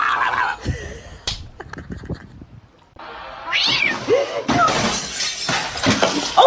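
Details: Domestic cat in a quick-cut compilation of funny cat moments, giving rising and falling meows in short bursts, broken up by abrupt edits, clatter and bits of background noise.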